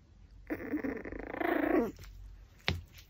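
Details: Pomeranian at a raw pork backbone makes one rough, buzzy growling whine lasting about a second and a half, followed by a sharp click of teeth or bone.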